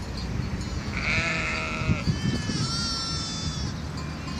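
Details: Several sheep on Mallorca, recorded 24 April 2018, call in overlapping, wavering bleats of differing pitch over a constant low rumble of wind.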